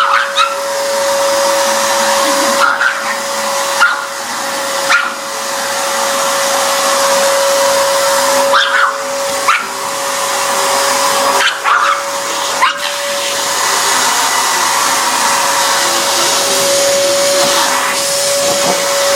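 A pug gives short, sharp barks in bursts over the steady roar and hum of a running vacuum cleaner.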